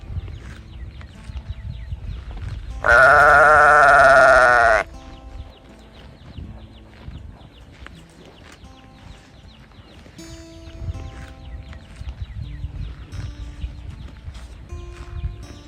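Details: A calf calling for its mother. It gives a single loud, drawn-out bawl of about two seconds, rich in harmonics and steady in pitch. Quiet farmyard background follows, with soft chirps and low rumbling.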